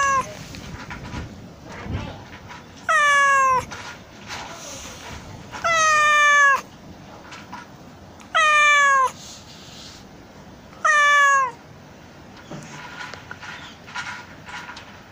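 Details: ['Stray kitten on an island, peering out of a small drain hole and seemingly unable to get out, crying to passers-by, a habit it repeats whenever tourists come. Four loud, drawn-out meows about 2.5 seconds apart, each falling in pitch with rich harmonics, over quiet outdoor background.']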